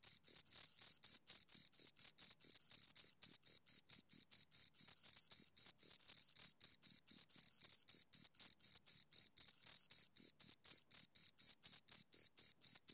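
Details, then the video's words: Two crickets chirping close up, a steady high-pitched pulsing trill of short rasping bursts, about four per second, with a fainter higher overtone; no other sounds. "Two Crickets Chirp Sounds"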